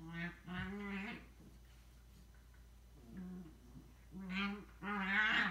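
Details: Two pet Scottish Terriers, a little sister and an older brother, at home indoors; drawn-out, tonal, moaning howls come in short bursts, with a pause near the middle before louder, rising howls resume toward the end.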